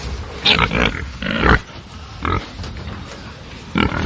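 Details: Angry pigs on a farm give loud, harsh squeals in short bursts, about four outbursts separated by quieter grunting and farmyard noise in between.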